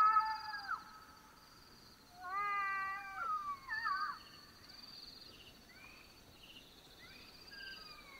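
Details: Night-time howls of black-backed jackals recorded in Botswana, Africa: two clear wavering wails that dip and fall, followed by fainter, more distant rising and falling calls, with a constant high-pitched buzzing in the background.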